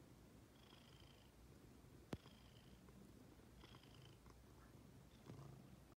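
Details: Female house cat that waits to be petted, purring. Low, even rumble throughout with faint breathy tones at regular intervals, a sharp click near the two-second mark and a slight rustle near the end.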